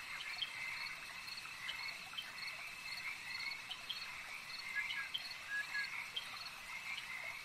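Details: A chorus of frogs at a lake, steady rhythmic croaking layered over a constant high-pitched whirring background, with occasional brief rising chirps.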